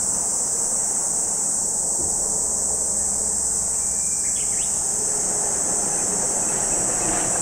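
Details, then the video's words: Chorus of cicadas by Lake Kamo, Sado City, Niigata Prefecture, Japan, a constant piercing high buzz without pause, with a brief faint bird chirp just past the midpoint. "Lake Kamo in Sado City, Niigata Prefecture, Japan, where you can hear the voice of cicadas."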